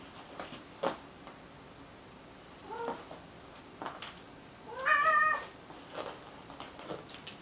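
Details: A cat meowing: a short soft meow near three seconds, then a louder, drawn-out, harmonic-rich meow around five seconds, with scattered clicks and taps around it against a quiet background.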